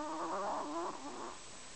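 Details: Close, loud snore from Kenny the Chihuahua: a wavering, nasal whistle rich in overtones, rising and dipping over under two seconds before fading out.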